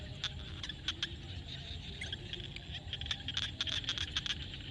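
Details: Frogs calling at sunset in a field in Cambodia: short, sharp clicking notes scattered irregularly, some in quick clusters, over a steady high insect-like hum and a low rumbling background.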